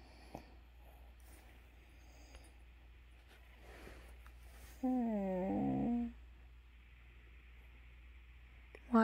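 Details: A beagle lets out a single wavering, moaning howl lasting about a second in a quiet, dark room when the morning alarm goes off.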